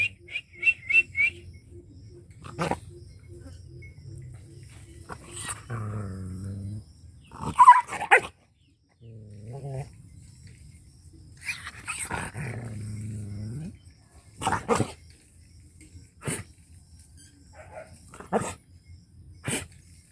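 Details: Dog from rural Punjab, Pakistan, barking and howling angrily: short crisp barks scattered among several low, wavering, groaning howls lasting one to two seconds, with brief silent stretches.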